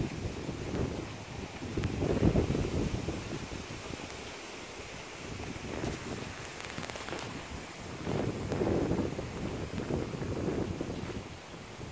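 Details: Gusty wind buffets the microphone in waves beside rice fields on a humid late-August day, with rustling and no animal calls.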